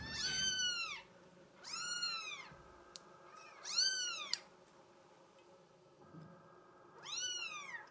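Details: Female Bengal kitten with a mink solid coat giving four high, arched meows, each about a second long, falling at the end and spaced roughly two seconds apart, with faint room hum between them.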